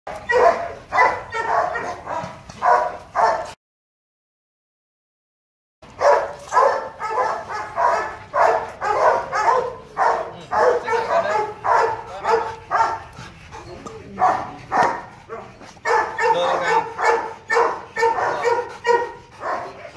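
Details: Male Rottweiler Loki, nearly two and a half years old, born 15 December 2016, at Gervi Kennel during play; rapid, loud barks repeated almost twice a second in dense runs, broken by a short silent pause.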